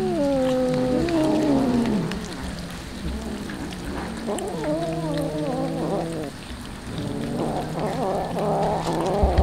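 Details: Hungry street cats calling while being fed tuna: drawn-out, falling and wavering meows from several cats, some overlapping, over constant background hiss.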